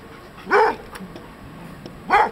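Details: Old English Sheepdog, dirty from play, recorded 24 March 2023, gives two short rising-falling yelping barks about one and a half seconds apart over quiet background.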